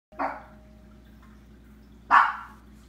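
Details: Chihuahua barking in slow motion: two drawn-out, stretched barks about two seconds apart, the second louder, each a smeared mid-pitched burst fading slowly over a low steady hum.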